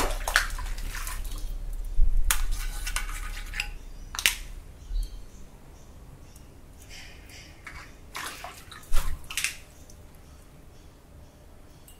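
Scattered knocks, scrapes and splashy bursts over a low rumble, like water and objects being handled in a small room, with no clear animal voice.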